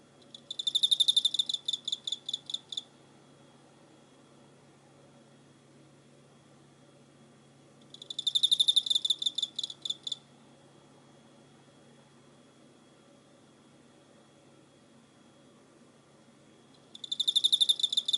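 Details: Cricket recorded on 24 November 2016: three bursts of rapid, high pulsed chirps, each about two seconds long and fading toward the end, separated by long quiet gaps of five to six seconds over a faint low hum.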